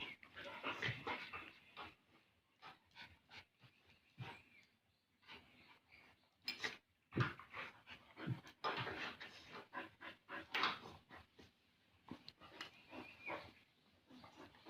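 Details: Two Bali dogs, Jamet, the small one, and Airbus, the big one, at play; quick, breathy panting runs in rhythmic bursts with louder huffs and snorts midway, separated by brief quieter pauses.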